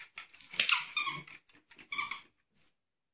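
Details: High, squeaky whines and yips come in a rapid, uneven string from Mez, a medium-sized male Mexican Hairless (Xoloitzcuintli), fading to one thin squeak at the end.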